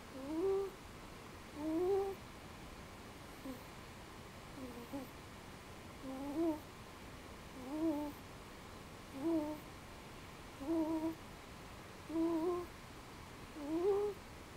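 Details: Bobby, a pet cat asleep indoors right after his dinner, snores softly: a whistling, slightly rising nasal tone on each breath, repeated about every one and a half seconds, with a faint room hiss behind it.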